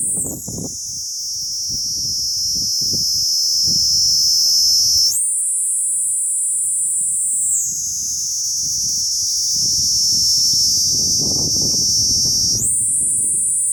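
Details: Kuroiwa cicada, a species endemic to the Amami and Okinawa islands, singing in an Okinawa forest as summer and the rainy season approach. A continuous shrill, high buzz shifts upward in pitch twice, with low rumbling sounds underneath.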